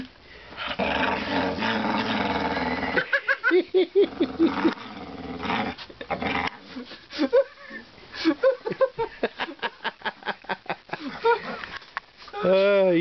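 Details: Dogs at play with laundry on laundry day, growling steadily, then breaking into a rapid series of short yips and whiny grunts, ending in a rising, wavering whine; human speech faint behind.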